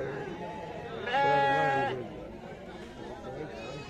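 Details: Goat at the Friday livestock market in Morpalayam, Namakkal: one loud, wavering bleat of under a second with a rich harmonic stack, set amid market chatter and voices of people nearby.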